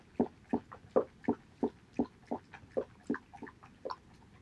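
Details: Male Border Collie Haedeun eating pollack soup, 2018.08.19. Regular, punchy slurping and chomping strokes come about three per second, each a short low-pitched burst, with nothing else intruding.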